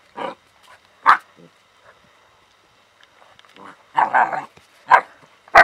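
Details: Alaskan Malamute puppies from one kennel litter in Ireland give short, husky yips and barks in uneven bursts while playing with a cat.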